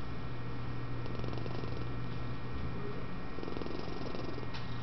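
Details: Sleeping adult female office cat at a humane society in West Virginia, awaiting adoption, snoring and purring: a low, steady rumbling pulse throughout, under a constant electrical hum indoors.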